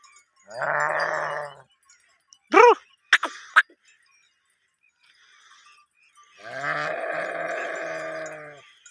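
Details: Sheep in a herd during mating give two sustained, buzzy bleats about five seconds apart; between them come a few bright, ringing bell clinks and quiet pauses.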